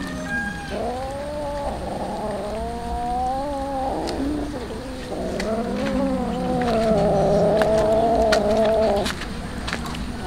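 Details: Poor street cats waiting for tuna yowl almost without pause: long, wobbling meows that rise and dip, with several cats overlapping and the calls growing louder toward the end before a brief quieter one.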